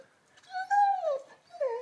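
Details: An 11-month-old Labrador named Lenny whines over his new ball in a small room. Two tonal whines, the first long and gently arching before falling, the second shorter and dipping, separated by a pause.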